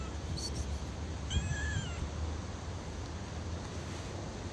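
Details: Hungry stray cat living on the street, begging for food: one drawn-out meow, slightly rising then falling, lasting under a second, preceded by a faint short chirp, over a steady low outdoor rumble.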